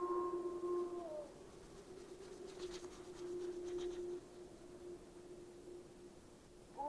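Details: Gray wolves of Yellowstone National Park pack calling from a distance: a low, long, steady howl continues under a higher voice that drops away early, with a brief faint rustle in the middle.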